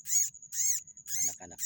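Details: Baby rats, a rice-field pest, taken from a flooded paddy plot onto the earthen dike. Shrill, high squeaks come in bursts about every half second over a thin steady high whine, with faint low rustling underneath.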